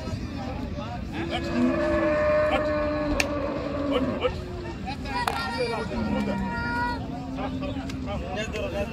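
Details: Cows unloaded from the river side at a popular village cattle market, giving repeated drawn-out moos, some wavering and rising in pitch, overlapping from several animals over a constant hum of people and activity.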